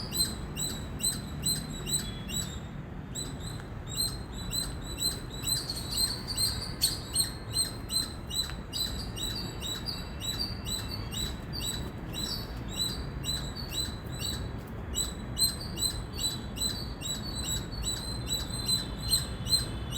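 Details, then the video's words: Indian squirrel chirping loudly: high, sharp chirps repeated about twice a second in a steady, insistent run over a constant low rumble of background noise. "Squirrel Sound | Squirrel Voice | Loud Squirrel Chirping Sound"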